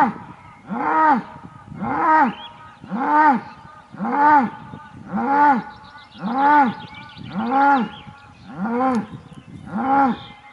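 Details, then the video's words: Aubrac bull, the male's call, on a farm with a campervan area near Laguiole in France; nine evenly spaced, rising-then-falling bellowing moos, about one per second, strong and regular throughout. "LA RACE AUBRAC - L'APPEL DU MALE"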